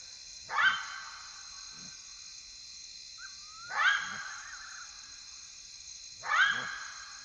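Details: Side-striped jackal (Lupulella adusta) at night in the bush of Kafue National Park, Zambia, gives short, yelping barks spaced a few seconds apart over steady background hiss.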